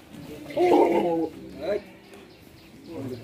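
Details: Indian Beetal goat kept for farming, giving one loud, wavering, nasal bleat of under a second, then a shorter, fainter cry, while men talk nearby.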